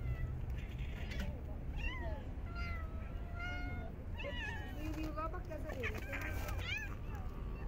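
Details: Stray cats being fed in a park in very cold winter weather, several overlapping meows rising and falling in quick succession, some drawn out and wavering, over low background rumble and faint voices.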